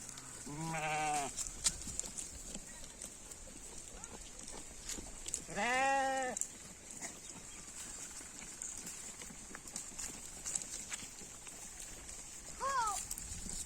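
A goat bleats in wavering, nasal bursts, with a shorter bleat near the end.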